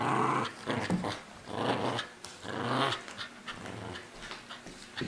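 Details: Terrier mix Tia, part Cairn, border and wheaten terrier, growls non-aggressively while playing with a stuffed SpongeBob indoors; continuous throaty growling rises and falls in three swells, loud and close throughout.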